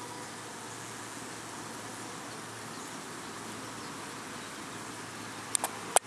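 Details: Italian honey bees washboarding, workers gathered in large groups rocking back and forth, and coming in for the evening; a steady dense hum of many wings, with a few sharp clicks near the end.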